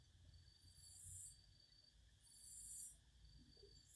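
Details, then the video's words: Cicadas singing in short, fairly soft bursts of high-pitched hiss, two swelling pulses about one and a half seconds apart, over a constant low background hum. "Singing cicadas."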